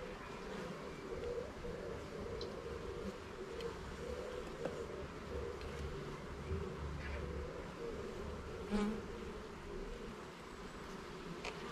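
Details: Honey bees buzzing at a garden hive during an inspection of its levels and frames; a steady, dense hum with a faint higher whine above, broken by a few soft knocks and one brief louder bump.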